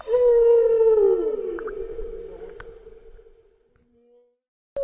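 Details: Humpback whale and calf heading north from Bahia de Banderas: a single loud low moan with clear overtones that bends slowly downward and fades away over about three seconds into near silence.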